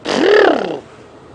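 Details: A young African elephant calf on the move during a sunrise safari drive near Djuma Game Reserve, 15 October 2016, gives a single harmonic squeal under a second, rising then falling, amid faint hiss, with an African cuckoo calling nearby.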